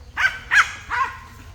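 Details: Domestic dog barking at monkeys up in a tree: three loud, clipped barks spaced roughly every 0.4 seconds, each with a bright harmonic burst, against a quiet low outdoor hum.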